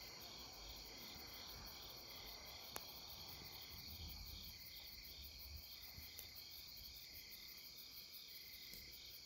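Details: Along the Deuldeul River at Nampyeong in late September, many insects keep up an unbroken high trilling chorus with rhythmic pulsing, broken by a few sharp clicks and some low rumbling noise.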